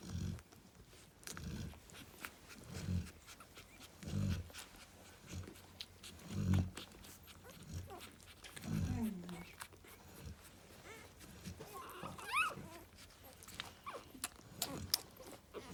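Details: Female Cane Corso snoring while lying with her puppies: a long run of low, rough snoring breaths about every one to two seconds, with rustling, some faint higher whimpers near the end and a voice at times.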